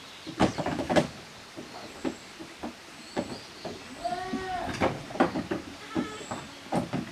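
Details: Young goats from two teams, the kids of Koharu and Okayu, at play in the exercise yard of a handmade goat farm in Japan on 13 June 2023; one short wavering bleat among scattered knocks, footsteps and clatter.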